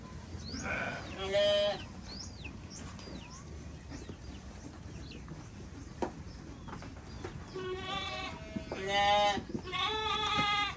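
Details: Group of sheep bleating together: a loud wavering bleat at the start, then a quieter gap with small bird chirps, followed by three more vibrato-laden bleats close together near the end.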